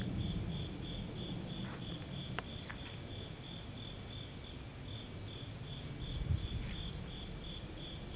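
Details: An insect trills on a summer night at a temple in Japan, 31 August 2015, in a steady series of high, thin pulses over a low rumble, with airplane sounds around.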